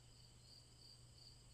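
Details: Continuous, even cricket chirring: a high ringing tone that swells into brighter pulses roughly every third of a second, with a quiet low drone below.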